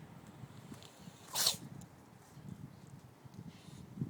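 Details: A cat sneezes once: a single short, sharp burst of breathy noise in an otherwise quiet setting with faint low rumbling.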